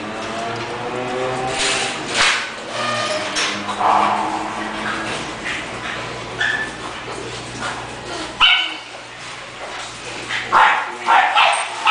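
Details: English bulldog giving a run of short, high, tonal yips and whimpering cries with clear harmonic bands, irregularly spaced over twelve seconds, with a low steady hum underneath throughout.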